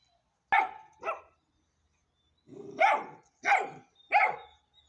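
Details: Hanoverian Scenthound puppy, ten weeks old, barking indoors: two quick yaps, a pause, then three louder, rougher barks roughly every two-thirds of a second.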